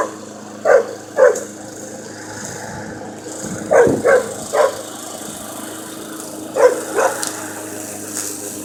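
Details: Jasper, a puppy who dislikes the mower, barks at it as if picking a fight. Sharp mid-pitched barks come in pairs and small bunches, about seven in all, over the steady engine hum of the mower.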